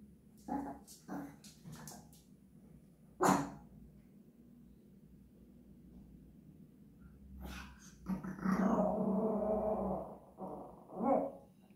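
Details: Japanese Chin singing: a few brief yips first, then a sustained, wavering howl-like tone lasting about two seconds, ending with one more short moan over a faint hum.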